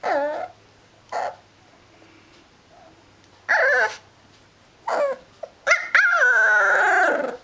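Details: Liver-and-white male dog growling and howling, short moaning vocal bursts with rising-falling tones at irregular intervals, ending in a longer wavering howl-like whine.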